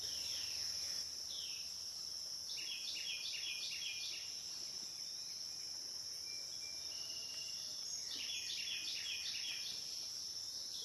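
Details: Night-long cicada recording on the Licking River, Morning View: an unbroken shrill tone with bursts of rapid stepped pulsing chirps around the third and eighth seconds, plus occasional single slurred notes.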